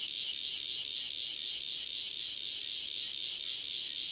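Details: A single Cryptotympana takasagona cicada near Dona village, Kaohsiung County, Taiwan, recorded live: loud, harsh buzzing pulses pitched high, repeated steadily about four times per second, each pulse swelling then dropping, with no other clear sounds.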